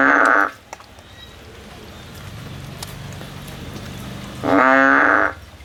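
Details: Frog on a tree looking for a way out: a buzzy nasal call ends at the start, then a long quiet stretch with faint low rumbling, then another droning call of under a second.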